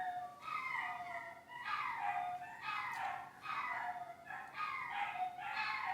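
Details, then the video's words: Screaming dogs filmed behind the scenes of The Cooking Doc, indoors: drawn-out, quavering cries that bend down in pitch, five or six in a row with short breaths between them. "Behind The Scenes with Screaming Dogs"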